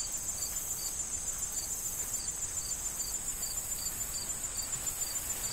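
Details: Crickets in an autumn corn field before harvest, chirping in short regular pulses about three times a second over a steady high shrill insect hum, with soft wind rustling the corn stalks.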